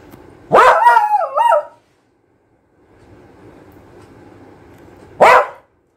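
A young Beagle gives a drawn-out, wavering bark, then a single sharp yap a few seconds later.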